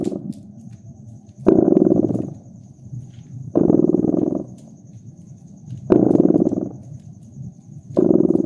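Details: A cat purrs next to a fireplace in cozy winter surroundings. The throaty, buzzing rumble pulses steadily, with four stronger swells spaced about two seconds apart and softer breathing-like stretches between them, over light crackling from the fire.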